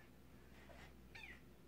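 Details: Indoor Siamese kitten playing with the pull chains of a ceiling fan gives a single short, high meow that falls in pitch near the end, over a quiet room and between a person's coaxing words.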